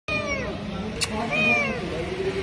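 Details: Hungry cat meowing for food: drawn-out, wavering meows with a rising then falling pitch, two long calls in quick succession over a steady background hum.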